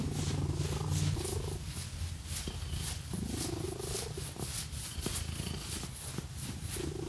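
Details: Cat purring strongly under scratching, a dense low pulsing drone that stays steady throughout, with crisp scratch strokes and a few rising swoosh sounds on top.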